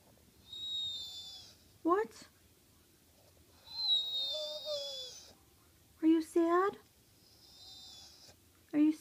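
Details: Bullitt, a Staffordshire Bull Terrier, cries because he is not allowed a sweet potato fry: high, thin drawn-out whines come in three long bouts, between them a person speaks to him in short rising phrases indoors.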